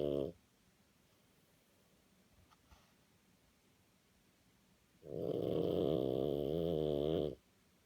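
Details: French Bulldog named Napo, sound asleep after an excited, tiring walk, snoring indoors: a brief rasping snore at the start, a long quiet pause, then one drawn-out, vibrating, throaty snore lasting over two seconds.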